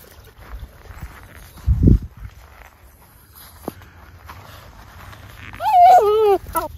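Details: Miniature Schnauzer brothers Lucky and Levi out for a quick run in 14-degree-F cold after three weeks cooped up indoors, December 12, 2022, Aroostook County, Maine: a short wavering, whining vocal near the end, after a dull thump and a person calling.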